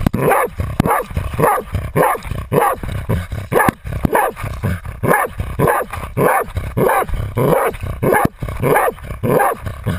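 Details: Otto, a Jagdterrier, bays at a 250 lb boar while wearing a GoPro; steady hoarse barks repeat roughly every half second, about a hundred a minute, over a rough constant background hiss.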